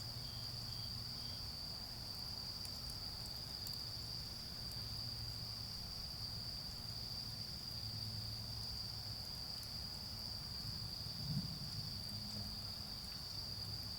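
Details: Steady high-pitched trilling of autumn insects in a garden at night during a bonfire, with a brief, lower, separate chirp near the start, soft fire crackles and a rumbling low background.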